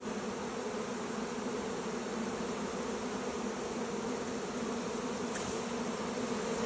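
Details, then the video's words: Honey bee swarm entering a new hive: a dense, steady, continuous humming drone with a low, even pitch. It holds unchanged for the whole stretch, and no other sounds stand out. "Honey Bee Swarm entering a New Hive"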